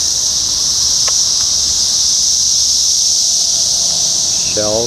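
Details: Brood X periodical cicadas in their 17-year emergence, June 4, 2021, in a parking lot in Sharonville, Ohio; a dense, steady, high-pitched droning chorus fills the air without a break, with a brief voiced sound near the end.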